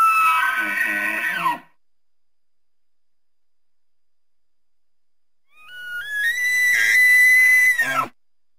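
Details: Elk in the wild give two loud, harsh screaming calls rich in overtones, separated by several seconds of silence. The second climbs in steps to a high, sustained whistled pitch, then cuts off abruptly.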